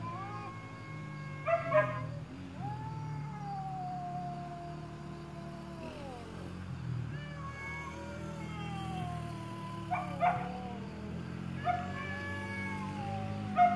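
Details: Shop cat defending territory against a stray: long moaning yowls slowly falling in pitch, several seconds each, broken by sharp harsh spits near 2, 10 and 12 seconds, over a low background hum.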